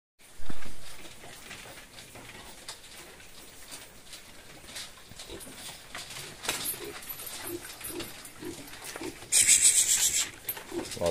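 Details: Fattening pigs in a lot at Granja Boa Esperança: a sharp knock early on, a steady rustle and shuffling of the pen throughout, then a brief piercing high squeal near the end.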